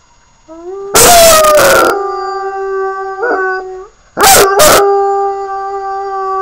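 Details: Sirius, a puppy, howls in a long, steady tone that opens with a slight rise. Two loud, sharp, broadband bursts break in near the first second and again near the fourth, then the held howl resumes.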